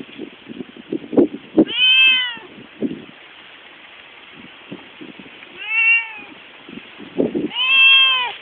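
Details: Pet domestic cat meowing while leading its owners some distance: three loud, drawn-out, arching meows, the first and last longest, separated by soft tapping and rustling noises.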